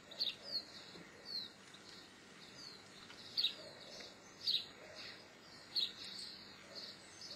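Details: Geoffroy's marmoset giving short, high, thin chirps in quick bursts, some with a sharp upward flick, spaced irregularly about a second apart over a soft, steady background hiss.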